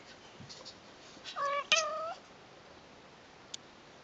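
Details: Persian cat family, newborn brother and sister kittens with their mom on their first day: one clear, drawn-out meow with strong harmonics, preceded by a short rising note, over a quiet indoor background with a click.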